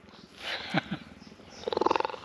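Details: Cheetah at a conservation centre in South Africa, purring after accepting a visitor and giving gentle love bites; a short burst of rapid pulsed rumbling near the end, after soft rustling and a few clicks.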